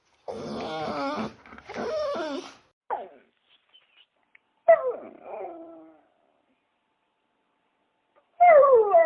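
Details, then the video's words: Dog making rough growling bursts, then short yips and a whimper, finishing with a loud, high, wavering whine after a quiet gap. "Relaxing sound of dogs"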